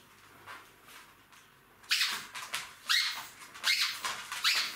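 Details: Jack Russell Terrier puppies, three months old, at play with their mother indoors: after a quiet rustling start, loud piercing squeals come about once every second, each sharp and falling, four or five in a row.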